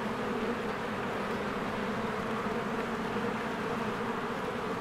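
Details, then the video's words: Honeybees swarming in and out of their hive in spring, recorded on a Canon EOS R: a dense, steady droning hum with a low buzzy band and a brighter overtone band, unbroken throughout, with no other clear sounds. "1 Hour of a Beehive ASMR | A Spring Nature Ambience Sounds"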